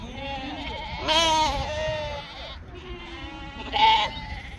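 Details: Sheep from a flock raised in northern Spain giving two loud, quavering bleats about three seconds apart, each rich in harmonics and wobbling in pitch, with softer bleats from other animals between them.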